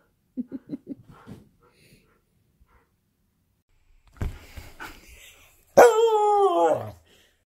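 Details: Husky indoors at home, roughhousing with another dog: a quick run of short yips, then a rough growly burst, ending in a loud drawn-out awoo that slides downward in pitch.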